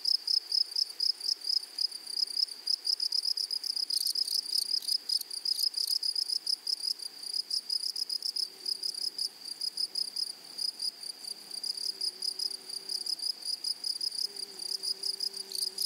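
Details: High pulsed insect song from grasshoppers in a flowery prairie meadow, fast chattering pulses in bursts that swell and fade, joined in the second half by a faint low droning hum beneath.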